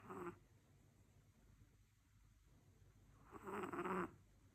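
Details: Sleeping Chihuahua dog: two short raspy snoring breaths, one at the start and a louder one after about three seconds, with quiet between.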